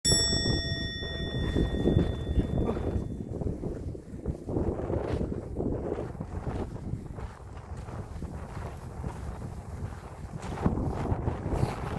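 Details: Outdoor rumble and wind buffeting with a brief ringing metallic tone at the start and scattered knocks, and no animal voice.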